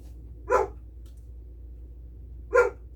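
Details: A family's female German Shepherd, who barks at everything, gives two deep, loud barks about two seconds apart, alerting to a neighbor's arrival.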